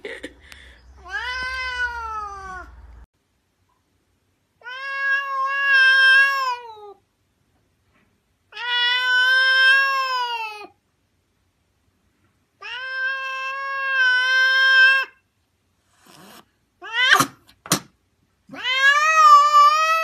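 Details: Indoor pet domestic cat giving a run of long, drawn-out meows, each about two seconds, rich and harmonic with a gently arching pitch. Pauses of one to two seconds separate them, with a few shorter sharp cries near the end.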